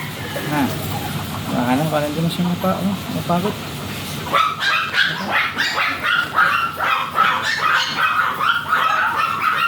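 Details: Teacup Chihuahua at a stud service at RBC Farm in Laoac, Pangasinan: human speech first, then a rapid string of sharp high yips and barks repeated about twice a second over low background hum.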